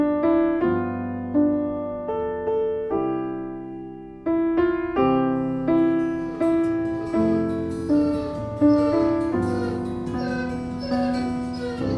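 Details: Gentle piano music plays slow, repeated chords throughout, with no animal sound heard.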